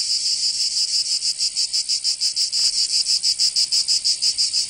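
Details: Provence cicadas singing in summer, southern France: a loud, shrill buzzing chorus with rapid, fairly even pulses, three or so each second, over a faint background hiss.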